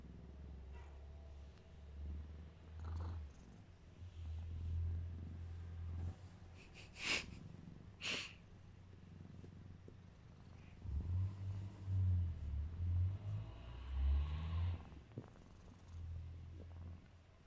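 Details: A very sleepy, tolerant domestic cat named Mićo purring: low rumbling pulses in long stretches, broken by two brief sharp clicks or sniffs near the middle, then more uneven, breathy purring with soft mewing tones toward the end.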